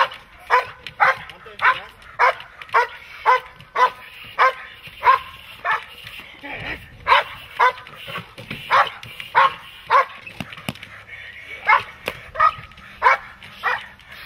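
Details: Dog at protection training delivering a long, relentless series of forceful barks, evenly spaced at about two per second with a few short pauses and faint low background noise.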